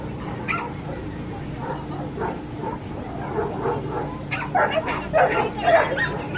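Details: Dogs barking at a dog show where a brother and sister pair made their debut. Sharp, irregular barks come louder and more often in the final two seconds over steady hall noise and a low constant hum.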